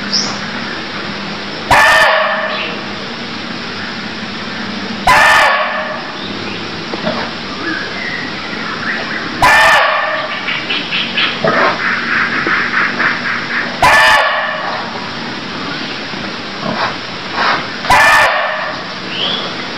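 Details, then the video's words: Five sharp, coarse barks from a barking deer, recorded in Cambodia, repeat at intervals of about three to four seconds. Between them, quieter rapid pulsing notes and high insect or bird chirps continue over a faint low drone. "Cambodia Sound Deer Calls || សម្លេងសត្វឈ្លូសស្រែក"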